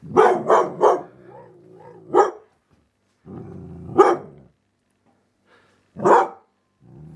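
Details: Eight-month-old female dalmatian x border collie seeing her reflection in a mirror for the first time: three quick sharp barks, then low moaning grumbles 'talking' between further single barks spaced about two seconds apart.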